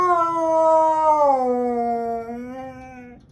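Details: Siberian Husky screaming on a Sunday morning: one long, drawn-out howling scream of about three seconds. It holds steady, then slides lower midway and fades out at the end.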